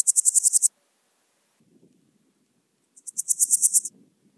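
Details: Swiss gold grasshopper song from Wildhaus, Switzerland, 7 October 2022: two dry, buzzy bursts of quick high pulses a few seconds apart. Faint low rustling is heard between and beneath them.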